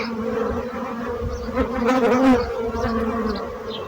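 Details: Bees buzzing in a steady, low droning hum with a stronger swell near the middle as one passes closer.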